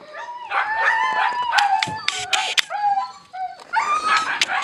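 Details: Husky puppies at their food let out long, wavering, howl-like whines, overlapping in a steady chorus broken by sharp clicking and feeding noises.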